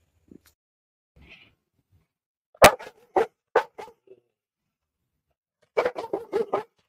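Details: A female Tibetan Mastiff, kept at home, barks loudly at other animals that come near. There are faint scattered noises first, then four separate deep barks and a quick run of barks after a pause.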